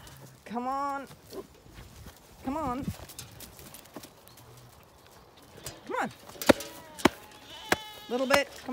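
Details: Zwartbles lambs on a regenerative farm in County Kilkenny, Ireland, calling during morning feeding in early summer: two wavering, tremulous bleats early, then clustered bleats and sharp knocks near the end, with a farmer calling to them.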